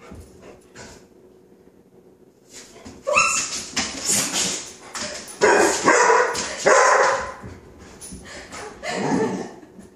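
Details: Coco, a five-month-old chocolate Labrador puppy who hates the sound of non-stick spray, yips, barks and whimpers in a jumbled, excited sequence, overlapped by human squeals and laughter.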